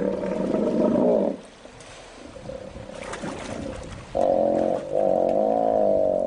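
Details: Young male hippopotamus negotiating with the dominant male through deafening groans and grunts. Loud, harsh, buzzy groaning bursts in a low-mid range, separated by a quieter stretch.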